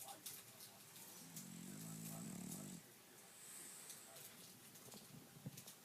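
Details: French bulldog asleep, giving one rasping, low droning snore of about a second and a half, followed by quiet breathing and a few soft clicks.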